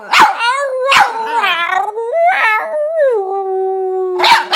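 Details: Female Boston Terrier pet making odd vocal noises: short barks break into wavering, warbling squeals, followed by a long sliding whine that drops and levels off, ending with another sharp bark.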